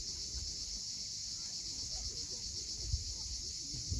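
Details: Sunset on Crimea's Cape Fiolent cliffs, with a cicada chorus forming a continuous high, hissing drone, even in loudness throughout, while surf murmurs low underneath and a couple of soft knocks break through.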